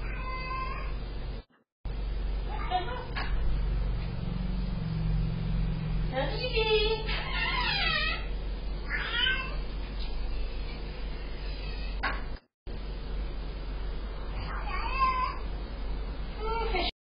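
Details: A Sphynx cat meows repeatedly to greet its owner arriving home after a 24-hour road trip, caught on a home security camera, with a person's voice calling its name in the background.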